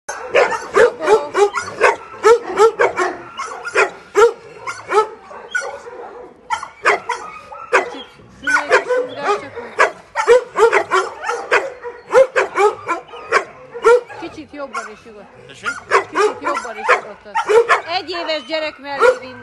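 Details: Dog barking in rapid bursts of short, sharp, harmonic-rich barks, tightly repeated throughout with only brief pauses, loud and close.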